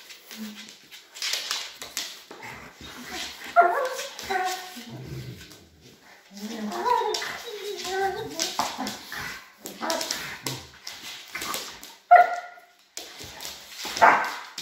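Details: Doberman and Rottweiler dogs together, facing off against each other; tonal whining and rough growling yelps rise and fall in bursts, irregular, interleaved with scuffling and a person's voice talking throughout.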